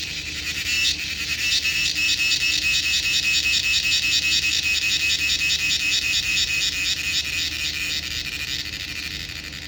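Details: Cricket calling: a continuous, shrill, high-pitched pulsed trill held at a steady level for the whole stretch, with a faint low hum beneath.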